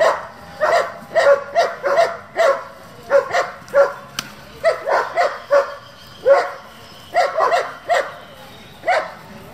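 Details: German Shepherd working group, a breed raised for breeding and competition: loud, sharp barks in bursts of two or three, repeated steadily for nearly ten seconds over a quiet background.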